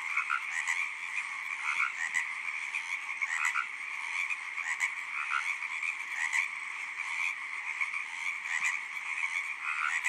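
Tree frogs call in a dense, continuous chorus of high, buzzy trills with brief louder bursts.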